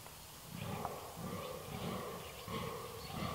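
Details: Red deer recorded on 13 October 2019, giving deep, grunting roar pulses that swell and fade roughly every half second to second, low and throaty, over a steady outdoor background hiss.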